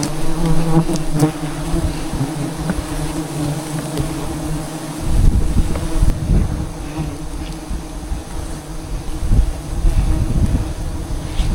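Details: Swarm of wild jungle bees around a large hive in the trees, heard while honey hunting: continuous deep buzzing drone, growing rougher and louder midway with rustling and handling noise.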